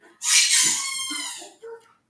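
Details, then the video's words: New puppy indoors in the background while cards are being opened; one long, high, strained whine lasting over a second, followed by a short softer squeak. "sorry like we said we got a new puppy that's what that noise is in the background"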